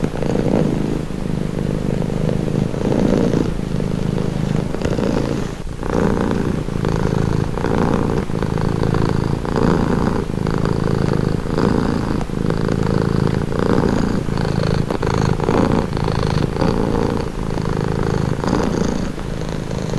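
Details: Calming purr of a pet cat, deep rhythmic rumble rising and falling with each breath about once a second, steady throughout twenty seconds, nothing else audible.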